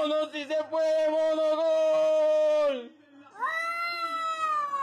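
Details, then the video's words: Domestic cat making a weird noise: a few short choppy notes lead into a drawn-out, level, nasal yowl lasting about two seconds that drops at its end, then a pause and a strong rising, slowly falling meow-like wail. "Cats Who Make Weird Noises!"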